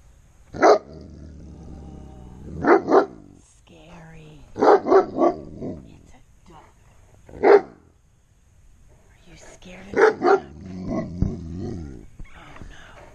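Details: Frightened giant Alaskan Malamute barking at a duck, something he almost never does: loud, abrupt barks in ones and twos, repeated every couple of seconds for over ten seconds, while a woman talks and teases him between barks.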